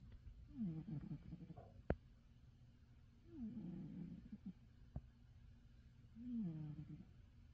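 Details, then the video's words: Pet cat Roger deeply asleep in his favourite bed: three low, rough snores with a falling pitch, separated by quiet pauses, plus a couple of faint clicks. "My cat, Roger, snoring away in his favourite bed."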